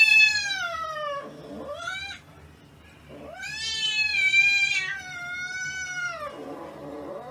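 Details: Siberian Husky giving drawn-out, harmonic howling vocalizations: a long falling moan, a short rising whine, then a sustained wavering howl that slides down and fades, indoors with little background noise.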